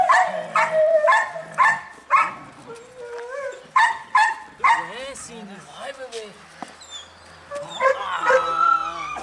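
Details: Belgian Malinois puppy, a four-month-old female in early bite training with a human assistant, gives bursts of sharp barks and a few yelping whines, broken up by people talking throughout.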